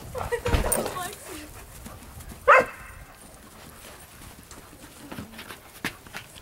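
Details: Dogs playing together, two standard poodles, a black one of 9 months and an apricot one of 1 year, with a German Shepherd of 1.5 years; a single sharp bark stands out midway, with scuffling, panting and a human voice early on.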